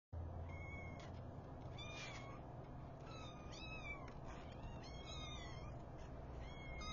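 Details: Five newborn kittens with their mother as she wakes them, giving thin high mews that rise and fall, several overlapping in quick succession over a steady low hum.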